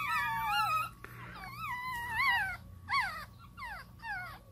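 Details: Pug puppies at play, giving high, wavering whines that rise and fall in pitch, in long drawn notes at first and then shorter, falling squeals with brief pauses between them. A faint low hum runs underneath.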